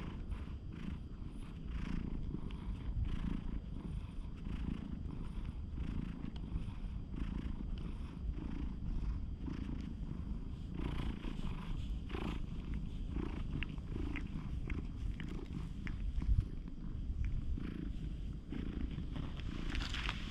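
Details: Stray cat with a slightly fierce stare, swatting at the camera's furry windscreen, recorded on a GoPro HERO8: a steady, low rumbling purr runs throughout, with soft rustling and brushing against the microphone.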